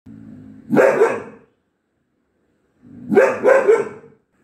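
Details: Four-month-old Mudhol Hound on duty at night, giving two loud, rough barks about two seconds apart, each a burst of two or three quick barks after a low rumbling lead-in, in a quiet setting.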